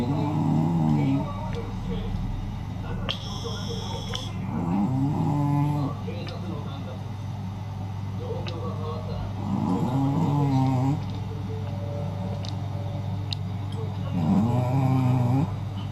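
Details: Naomi, a senior Shih Tzu, snores loudly, likened to a wild beast. Four rough, rising, harmonic snore bursts arrive about every four and a half seconds over a constant low droning hum, with a brief electronic buzz near the start.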